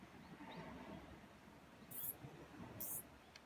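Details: A mouse being bullied by a cat gives two brief, very high-pitched squeaks over a low, muffled background rumble.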